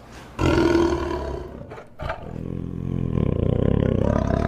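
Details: A tiger lets out one powerful roar that starts abruptly and loudly, breaks off briefly, then continues as a lower, pulsing rumble that steadily builds toward the end.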